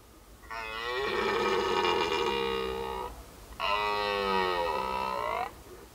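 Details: Loud, close, strained roars of a red deer during the autumn rut of 2019 in the woods: two long harmonic blasts of roughly two and a half and two seconds, rasping and slightly falling, separated by a short breath.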